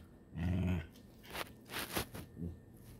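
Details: Ritzy, a frustrated Shiba Inu, lets out a low, throaty half-second grumble, followed by breathy huffs and rustling, then a shorter low groan near the end.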